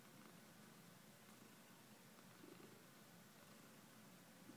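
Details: A brief stretch of gentle cat purring: a quiet, low, throbbing rumble that keeps a steady beat against a hushed background.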